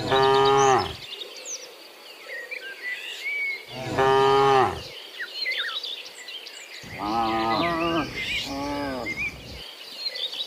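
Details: Herd of dozens of cows heading home from the fields to their pen in the afternoon: two strong moos early, then two lower, quieter moos overlapping near the end, with birds chirping in the background.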